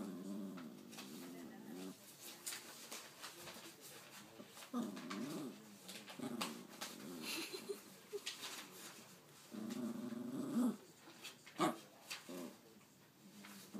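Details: Nipsu, a pet dog trying to tell its owner something, makes a string of low wavering growly vocal sounds indoors, rising and falling like talking, broken by short pauses and a few sharper yelps near the end.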